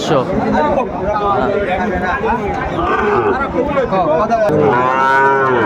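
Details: Sahiwal bull calves for sale at a cattle market in Sylhet, Bangladesh, 29 June 2024; a series of short moos and grunts amid talking buyers ends in one strong, sustained bellow.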